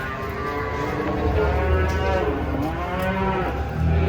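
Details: Large cattle being unloaded from a truck give a steady, deep, sustained moo that holds a level pitch and swells slightly toward the end, with a rumbling low background.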